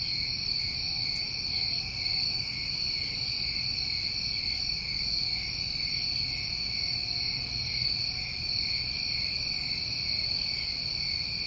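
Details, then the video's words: New England summertime crickets in a dense, unbroken chorus: two steady high-pitched trilling bands layered together, with soft hissing bursts higher still roughly every three seconds and faint low rumble underneath. "Over 1 Hour Of Tinnitus Masking With Crickets"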